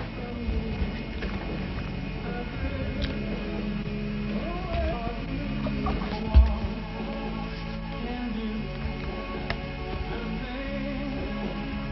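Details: Recorded music with a steady beat and a single loud thump near the middle, with no animal voice.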